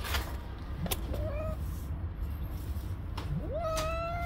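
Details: Stray tabby mother cat on the street, angry at a person for touching her kittens. Two drawn-out tonal cries rise from low to a held higher pitch. The first is short and the second longer and sustained, over a steady low rumble with a few sharp clicks.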